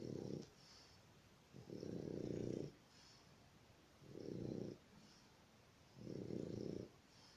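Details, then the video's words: Dog snoring steadily: four rough, buzzy, low snores, each lasting about half a second to a second, repeating roughly every two seconds with quiet breaths between them in a still room. "Собака храпуляка"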